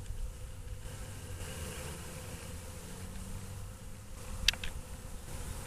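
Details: After a long winter, honey bees wake in a constant low humming drone, interrupted near the end by a sharp click.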